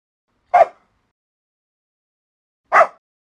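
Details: Two isolated short sharp barks about two seconds apart, from a compilation of dogs of different breeds barking, with silence between.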